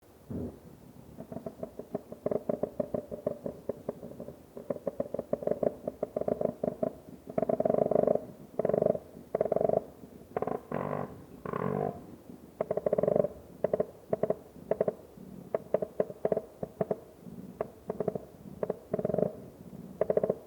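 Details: A koala in the Australian bush gives a deep, rasping, rapidly pulsed call, like a rhythmic snore that surges and fades.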